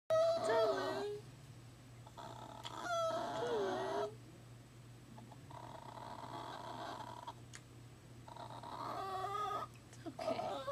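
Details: New puppy at work, crying nearly nonstop for a day, apparently missing its mother: high, wavering whines in bursts of about a second, some sliding down in pitch, broken by quieter stretches where a human voice seems to be speaking.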